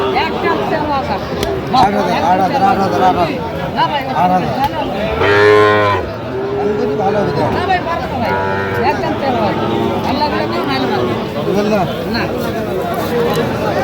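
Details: At a Bangladeshi cattle market in Noakhali, a Sahiwal bull calf gives one loud, strongly harmonic moo partway through, followed by a fainter second call, while market crowds talk and bargain constantly around it.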